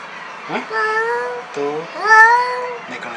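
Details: On meeting a new cat for the first time, an angry black cat utters two long, level, moaning yowls, the second rising slightly at its start, with a brief hissing sound before them.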